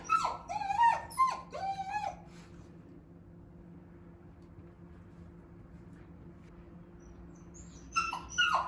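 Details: Shiba Inu searching for its sister, crying indoors: a burst of high, wavering whimpers with bending overtones in the first two seconds, a long quiet stretch, then more whimpers near the end.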